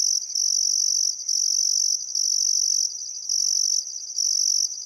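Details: Australian crickets at sunset by the Barcoo River in Welford National Park, Outback Queensland, on a calm summer afternoon, giving a piercing trill in bursts of about a second, interrupted by brief quieter gaps.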